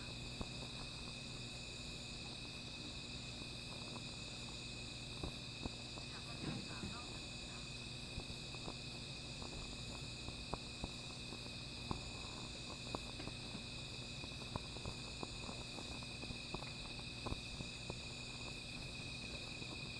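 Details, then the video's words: Constant shrill insect calling on a night by a small fire, high steady ringing with a quick pulsed trill, accompanied by frequent fire crackles and a brief murmur of a human voice. "Sound of Insects"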